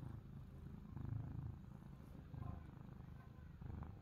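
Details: Purring from a cat, one of the pair Pani and Chester seeking affection: a deep, even rumble that rises and falls in soft waves over a few seconds.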